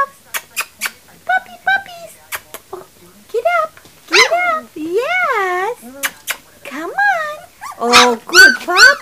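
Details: Litter of three-week-old puppies: clicking and short yips give way to strong wavering whimpers rising and falling, ending in louder, harsher squealing cries close together.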